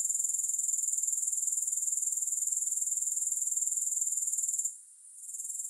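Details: Continuous thin, high grasshopper trilling made of fast, regular pulses; near the end the chorus briefly drops away and then swells back, with no other sounds present.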